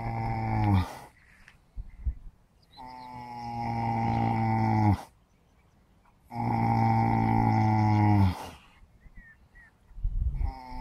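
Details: Sleeping horses, four of them taking a nap on a bright early morning, give long buzzy, low snores of about two seconds each. The snores repeat roughly every three to four seconds with hushed breathing in between.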